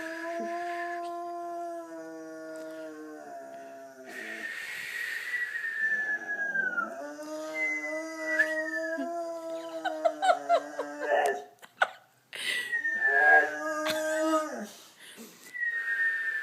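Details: Oscar, a pet boxer dog, howls in long drawn-out tones that rise and slide downward. Several sustained howls run back to back with brief breaks between them, and a short noisy burst falls near the end.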